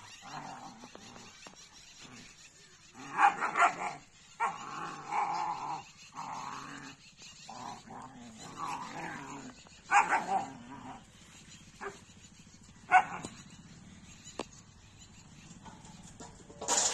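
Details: Two German Shepherds fighting through the day. Irregular bursts of harsh, noisy growling and snarling rise and fall, with a few sharper peaks and quiet pauses between.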